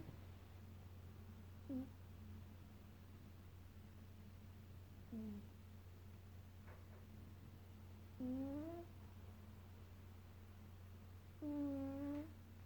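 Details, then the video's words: Snoring Maine Coon cat, Leroy, gives irregular snores: two short faint ones, then longer rising, tonal snores near the end, with a background electrical hum. "Chat (Leroy , maine coon) ronfle"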